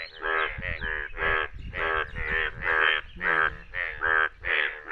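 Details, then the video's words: Yellow Indian bullfrogs calling in the rain in India, loud buzzy croaks repeated roughly twice a second, evenly spaced pulses with faint low background rumble. "Most Beautifull Bullfroag Yellow Frog Sound!Amezing Frog Scremming In India !India Yellow Frog Sound"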